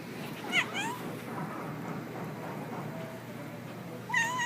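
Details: Domestic cat making a lot of funny noises: a short rising chirp with stacked harmonics early on, then a wavering, slightly rising trill-like call near the end, separated by steady low background hiss.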